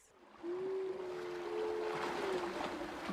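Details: A walrus, heard in the wild off the coast of Alaska, gives a sustained, clear bell-like chime like a glockenspiel, holding a steady pitch for about two seconds.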